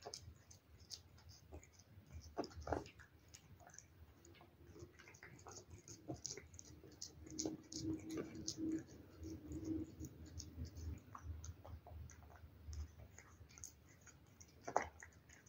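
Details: Cat eating wet food: soft wet smacks and sharp clicking chews scattered irregularly throughout, a faint low steady hum through the middle, and one louder click near the end.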